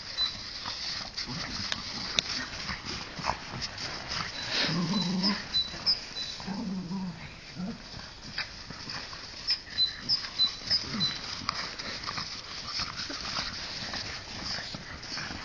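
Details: Two dogs, Bizsu the Jack Russell Terrier and Lujza the Mallorcan Bulldog, playing tug-of-war; short low rumbling growls near the middle, the longest two about a second each, over steady scuffling, rustling and bright hiss.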